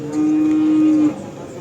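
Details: Simmental cattle at the Kerek cattle market in Tuban, East Java, Indonesia. One steady, flat, low moo lasts about a second over market hubbub, with people talking about the animals nearby.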